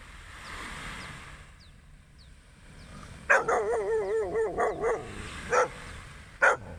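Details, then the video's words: Dog heard at sunrise during a beach walk: a wavering, warbling whine lasting almost two seconds, then two short, sharp barks about a second apart, over a steady rushing background noise. "a barking of a dog"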